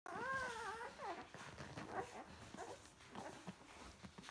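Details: Irish Wolfhound puppies from a first litter of nine, feeding: a clear wavering whine opens, then gives way to a jumble of soft squeaks, grunts and shuffling.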